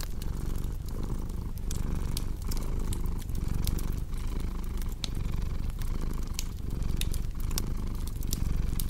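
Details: Steady rumbling purr of a cat in even in-and-out pulses, with frequent crisp crackling and popping from a fireplace close by.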